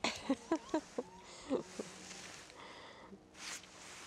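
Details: Šarplaninac pups, five weeks old, offspring of Milos and Nessa, on their first look around beyond the kennel. A quick burst of high, squeaky yips comes at a steady beat, about six in the first second and a half, then fades into soft rustling.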